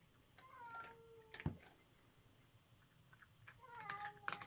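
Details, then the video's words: Cat at breakfast giving a short falling mew, then a loud crunch, followed by quieter chewing clicks and another brief mew with a crunching burst near the end. "breakfast time food cracking sound video for fun YouTube cat entertainment"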